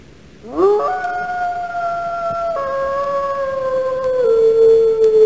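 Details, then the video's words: Wolf howling: a long, smooth tone that swoops up at the start, then holds steady with slight downward steps, carrying on to the end without a break. "Sounds of animals and birds - 4K. Cat, wolf, monkey, meerkat, seagull, peacock, chicken, cow"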